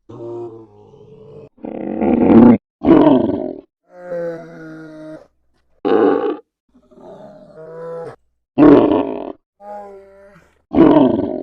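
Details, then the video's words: Polar bear sounds begin with a soft, buzzy harmonic moan, followed by deep rasping growls. Quieter tonal wails and loud throaty bursts keep trading back and forth, with short silent gaps between them. "FUNNY POLAR BEAR NATURAL SOUNDS"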